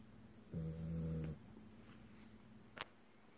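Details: Pet French Bulldog, male, dozing in REM sleep in October 2018; one steady, low, buzzing snore lasting under a second, followed by soft breathing and a faint click in a quiet room.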